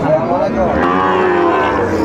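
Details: Brief low moo from a Sahiwal bull at the Ambari livestock market, Netrokona, on 8 November 2024, a single sustained bellow with background voices.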